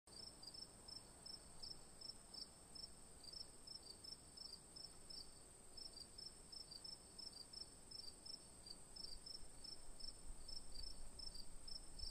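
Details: Crickets chirping in a steady, rapid series of short high pulses, roughly three per second, with a continuous higher buzz from more insects above and a soft low rumble beneath.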